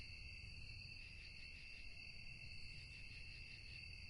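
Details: Insect chorus of crickets at night: continuous ringing trills in stacked high tones, faintly wavering. Muffled low rumble beneath.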